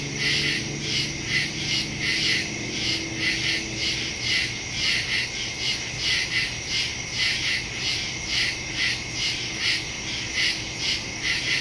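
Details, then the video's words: Woodland crickets at night, September 2, 2023, Samsung Galaxy S22 Ultra phone with Shure MV88+ stereo microphone; continuous high, pulsing chirps from many overlapping callers, a slight low hum and soft tonal murmur underneath. "Crickets in the woods at night"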